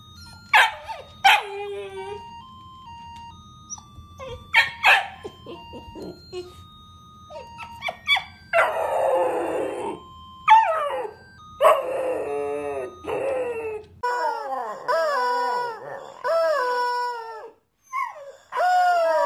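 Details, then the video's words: Dogs giving sharp barks and whines early on, then a run of repeated rising-and-falling howls toward the end, over steady background music and scattered voices. "Funny Dogs Howling"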